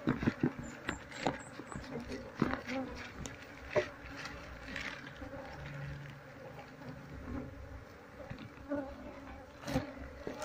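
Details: Wild Apis cerana colony disturbed while being moved into a hive box during a search for its queen; a dense, steady low hum with scattered sharp clicks and taps throughout.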